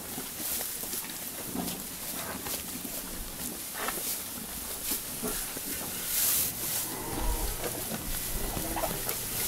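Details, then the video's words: Japanese Black Wagyu cow named Ichigo at Kaname Farm on Okinoerabu Island, Kagoshima, Japan, eating her morning feed, recorded on an iPhone 13 Pro with a Zoom iQ7 microphone; soft crunching chews and rustles repeat roughly once a second. "牛の咀嚼音ASMR/Japanese black "WAGYU" eating sounds"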